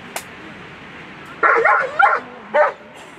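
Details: German Shepherd Tanne v Scalindjo competing at World Championship Agility on Sunday, a loud harsh bark with a second bark right after, then a third bark half a second later, over a background of crowd chatter.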